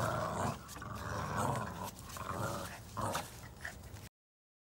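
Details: Brown Boston Terrier puppies growling in fun during tug-of-war play; short throaty growls and a small yip over clattering movement, ending abruptly.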